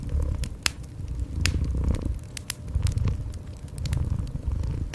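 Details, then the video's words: Cat purring in a cozy indoor setting: a steady, low rumbling purr that pulses continuously beneath sharp, irregular crackles and pops of a burning fireplace. "Cozy Fireplace with Gentle Cat Purring"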